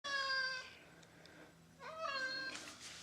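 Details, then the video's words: Domestic cat indoors, upset with its owner for spraying and killing bugs outside, gives a harmonic meow, a short pause, then a second rising-falling meow; faint low hum underneath. "Jack Bauer Talks"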